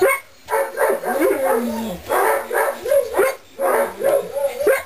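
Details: Weimaraner x English Setter mixed puppies, 2.5 weeks old, just starting to get around; a string of high, wavering whines and squeals in bursts with short pauses, pitch sliding up and down, with some soft background noise.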